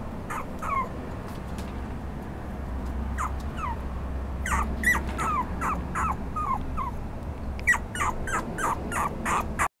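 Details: Red Toy Poodle whimpering in bursts of short, high, downward-sliding whines, roughly three per second at their fastest, with quieter gaps between runs over a low steady hum.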